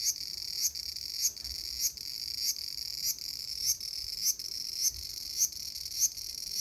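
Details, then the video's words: Cicada calling in a small garden on August 5, 2020: a steady high, hissing buzz with louder pulses about every 0.6 seconds, regular and unbroken throughout. "The sound of Cicada."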